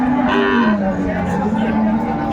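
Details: Cow at the Aftabganj cattle market in Dinajpur, Bangladesh, on a Saturday in December 2024, among cows with calves for sale; one low, drawn-out moo that slides slightly downward, with constant crowd chatter behind.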